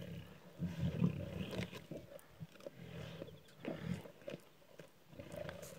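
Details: Lions from a pride of six squabbling over a freshly killed warthog one morning on Kwandwe Private Game Reserve, Eastern Cape, South Africa, phone recording; low guttural growls in short bursts, with a snarl near the end.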